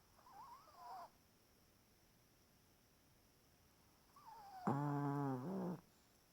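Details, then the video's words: Sleeping, twitching Chihuahua: a soft wavering nasal whistle, a long quiet pause, then another whistle leading into a loud, rough, buzzy snore lasting about a second. "Chihuahua snoring, twitching"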